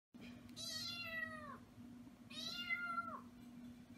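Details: Pet cat indoors giving two drawn-out meows, each about a second long, harmonic and slightly falling at the end, separated by a short pause, over a steady low hum.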